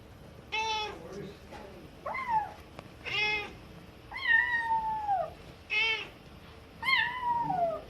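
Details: Kitten crying while being taught by its mother cat, the mother answering now and then; harmonic meows, some short and flat, others long and falling, about seven calls over eight seconds indoors.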